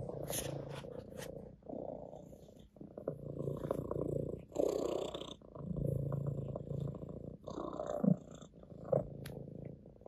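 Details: A ginger (orange tabby) domestic cat purrs steadily on a lap, a low rumbling drone that swells and eases with each breath.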